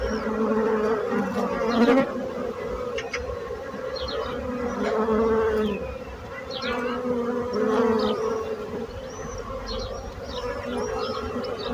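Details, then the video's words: Bees buzzing, a swarm-like drone whose loudness rises and falls in slow waves as insects pass closer, with thin bird twitters overhead. "So brutzit abelles - Bees sound - Bees buzzing sound effect"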